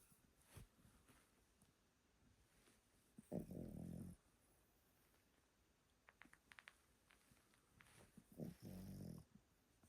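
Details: Old Pomeranian Yotaro sleeping indoors at a relative's house, giving two loud, rasping snores about five seconds apart, each a buzzy, low harmonic breath lasting nearly a second, with faint soft clicks between them.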